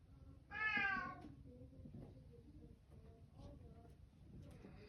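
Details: A single bright, bending meow from a Bengal cat in a small room, then quiet murmuring speech in the background.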